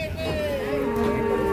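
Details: Cattle rampaging while being loaded onto a truck: a drawn-out, steady moo that slides slightly lower in pitch, with a rumbling, noisy background.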